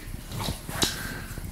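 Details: A one-year-old female Rottweiler crunches and chews raw chicken with sharp, wet snaps over a low background rumble.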